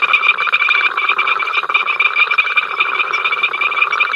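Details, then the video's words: Frogs croaking at Ol Donyo on 5 October 2023, from the africamLIVE camera: a short burst of their incessant row, with many rapid pulsed calls overlapping into a loud, rhythmic rattling chorus. "We are Froggies, hear us croak!"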